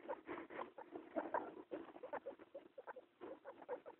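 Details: A mother guinea pig with two young ones chattering in a busy run of short, soft squeaks and chuts.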